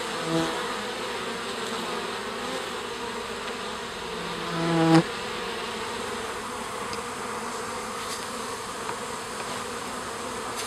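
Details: Honey bees coming out of their garden hive to stretch their wings: a continuous swarm hum, with one bee passing close around the middle, its buzz swelling and rising in pitch before fading.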